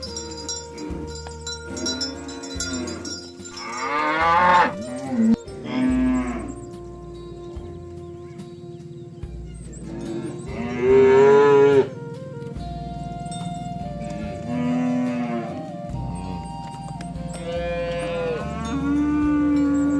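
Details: Cows and oxen roaming a field near a rice field, mooing to call friends to come home to the pen; several long, drawn-out moos at intervals, with cowbells clanking steadily in the background.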